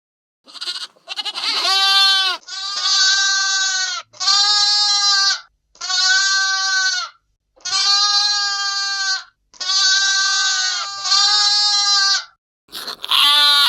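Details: Young lambs bleating: a clean series of about seven drawn-out, wavering, strongly harmonic bleats, each lasting one to two seconds and separated by short silences, with no background sound.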